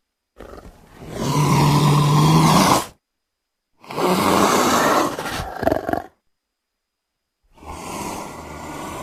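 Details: Leopard roaring in three separate bursts: a long, deep, harmonic roar of about two and a half seconds, then a rougher, noisier roar, then a fainter rasping one, with abrupt silences between.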